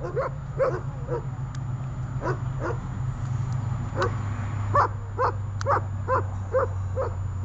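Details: During guard training on holding and barking, the dog Runa gives quicker, lighter, yelping barks, irregular at first then evenly spaced, beneath a strong low droning hum.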